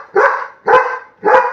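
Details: Pet Labrador Retriever named Buddy, urged in Bengali to rouse his father from sleep, gives three loud rough barks roughly every 0.55 seconds, each a short punchy burst fading quickly.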